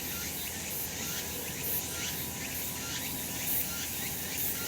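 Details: Summer cicada chorus from a sunny mountainside in Japan, a continuous high-pitched buzzing wash with faint upward-swooping pulses roughly every second and a steady low hum beneath.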